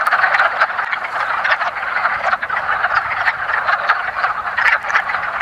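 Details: Chorus of Rana sylvatica breeding in a woodland pond in early spring, a mating-ritual gathering; short throaty duck-like clucks pour out in quick overlapping bursts, slightly louder at the start, with no other sounds.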